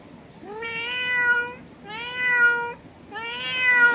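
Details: Three evenly spaced meows from a domestic cat calling through a window to a cat outside, each starting with a quick upward slide and then holding steady, roughly one per second and a bit.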